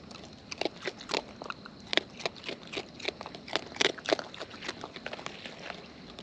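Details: Wild raccoons eating up close, with crisp crunching and biting clicks repeated several times a second in an uneven rhythm, louder bursts now and then, over faint outdoor hiss.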